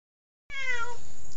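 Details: A talkative domestic cat living with grandparents gives a single clear harmonic meow, starting abruptly and falling slightly in pitch, lasting about half a second.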